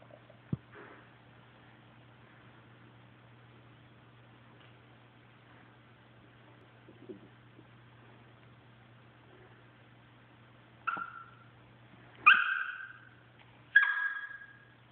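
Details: Enzo, a pet Chihuahua, giving his soft whisper cry for attention indoors: after quiet stretches, three short high whimpers near the end, each sliding down in pitch, over a steady low electrical hum.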